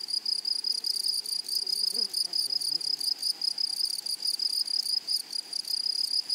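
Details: Meadow grasshoppers calling in flowery prairie grassland: a rapid, evenly repeated high buzzing pulse, about five bursts per second, with a brief faint low rustle near the middle.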